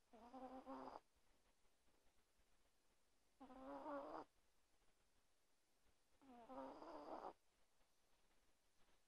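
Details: Tiny 1.2 kg chihuahua asleep under a blanket at night, snoring loudly: three rasping, buzzy snores of about a second each, spaced roughly three seconds apart, over a quiet background.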